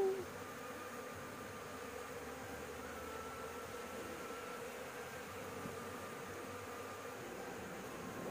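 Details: Honey bees buzzing at a nest on a house roof during a honey harvest, while smoke from a cigarette is puffed at them to drive them off. There is a steady, low droning hum with a faint whine above it and no pauses.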